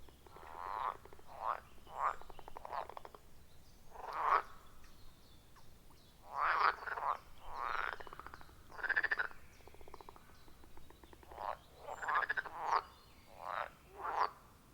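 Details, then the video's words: Frogs at a forest pond, captured in real time with an iPhone 14 Pro and Shure MV88+ microphone; short, separate nasal croaks in clusters with brief pauses, quieter and more spaced than a full chorus, a few faint chirps in the background. "30 Minutes of Frog Sounds at a Forest Pond"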